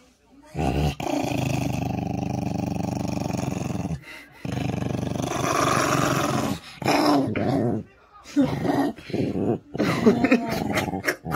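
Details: Nine-year-old Maltese dog, indoors, guarding its own toy held tight in both paws, growls low and steadily in long rumbling bursts with short breaks, followed by shorter choppy growls; human voices can be heard too.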